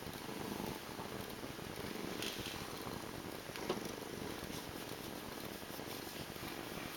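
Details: Domestic cat's quiet, steady purr, a soft pulsing rumble that never stops, with a faint hiss and a couple of small clicks.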